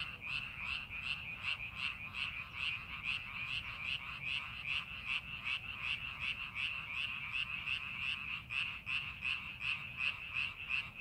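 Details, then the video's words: Frogs calling in a rice paddy being prepared for farming, in a scenic landscape: a dense chorus of pulsed croaks around a steady band, repeating rapidly, roughly two to three pulses per second, with many callers overlapping. "논에서 개구리 울음소리"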